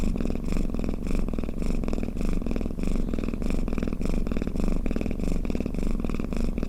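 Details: Domestic cat with a snoring purr, played to soothe listening cats; deep throaty rumble rising and falling in regular breath pulses, roughly 100 per minute, close and uninterrupted.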